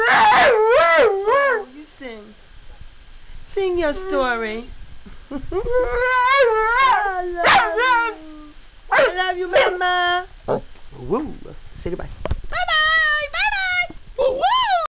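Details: Puppy "talking" and singing to his owner, telling her he loves her: chattering bursts of short, bent howls and yips in quick irregular phrases, pitch swooping up and down, with brief pauses between groups.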